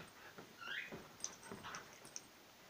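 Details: Playing indoors, a whippet named Willow and a border collie pup named Fae, with one short high whine sliding upward, then soft scuffles and light clicks.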